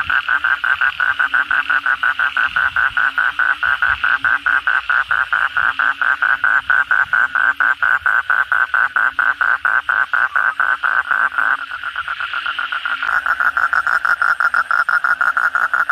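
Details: Kodok bangkong (Asian common toad) calling at night after heavy rain: a dense, fast train of short buzzy pulses, several per second, steady throughout, with a faint lower droning tone beneath.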